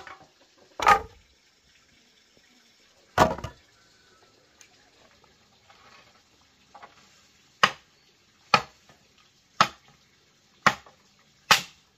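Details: Sharp chopping or knocking strikes at irregular intervals, quickening toward the end, over a quiet background.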